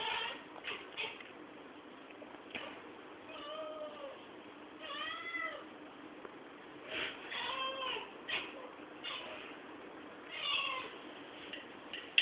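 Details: Cat excited after seeing a fly, taken on a poor-quality camera: repeated arching, warbling chirps in short bursts every second or two, each with rising then falling pitch, over constant background hiss.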